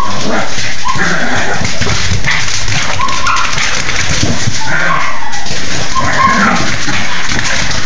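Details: A Cocker Spaniel left out of play whines and yips in the background while a Pekingese plays, over steady scuffling and household noise.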